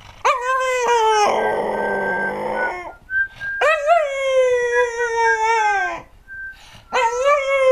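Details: American Cocker Spaniel named Džo, a singing dog, recorded in 2008: long sustained howls with rich harmonics, a warbling tremulous middle section, brief pauses between phrases and a faint steady whistle-like tone in the background.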